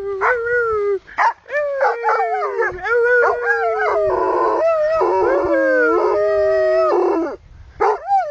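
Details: A Plott Hound "sings" on a bright day in the English countryside among green fields and birds. It howls in long, wavering, bending tones, broken by short yips and breaths.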